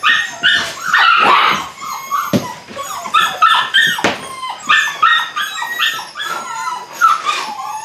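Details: Belgian Malinois puppies, eight weeks old, beginning bite work together; choppy overlapping yelps and squealy whimpers come in quick irregular runs, with a few thumps and knocks between the cries.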